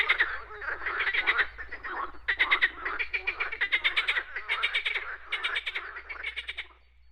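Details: Frogs calling outdoors, bursts of quick, clicking, rattling croaks in repeated trains, separated by short pauses near two seconds, fading away at the end above a low steady hum.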